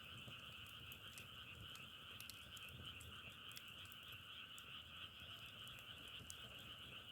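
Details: Many frogs calling together in a thick, ringing chorus without pauses, layered high and mid tones, punctuated by frequent crisp crackles and soft low rumble.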